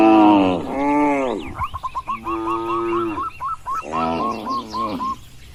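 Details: Cattle on a wide green farm field, walking and grazing, give several short, harmonic, mid-pitched moos in a row, each under a second long, while repeated chirping bird calls sound over and between them.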